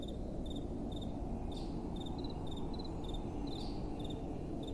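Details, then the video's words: Crickets calling at night amid soft wind: crisp, high, evenly spaced chirps, some in quick doubles, tick along about twice a second over a low, steady breeze. "Relaxing Night Time Sounds | Crickets & Soft Wind"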